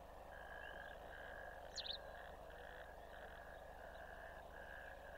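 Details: A chorus of natterjack toads gives loud, steady, overlapping rattling trills lasting seconds. They were recorded on 1 May 2024 in a ditch at a wet-meadow camera.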